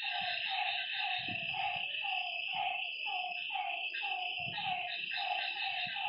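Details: Several frogs call after dark at a lakeside, short throaty notes tumbling about two per second, set against a constant high-pitched insect whine and scattered low rumbling bumps.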